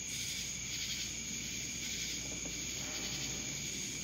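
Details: Cicadas in Dallas, Georgia: a dense, steady high-pitched buzzing chorus with a sharp ringing tone on top, swelling and fading in soft pulses through the recording.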